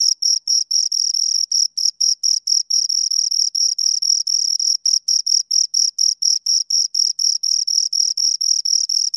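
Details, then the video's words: Shrill, rapid chirping from two crickets. The high scraping pulses come in quick runs, broken now and then by brief uneven gaps, against a quiet background. "Two Crickets Chirp Sounds"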